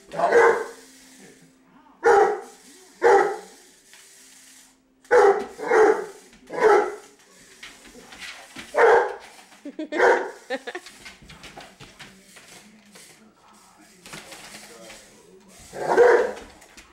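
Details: Seven-month-old male English mastiff indoors, excitedly chasing a remote control buggy car around the house: about ten loud, deep bark bursts, some doubled, spaced one to two seconds apart, with a person's voice urging him on between barks.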